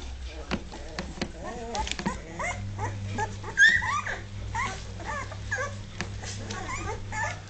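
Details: Dogue de Bordeaux puppies, two and a half weeks old, learning to walk indoors; soft rising whimpers and squeaks from several pups, with a low steady hum and faint background voices.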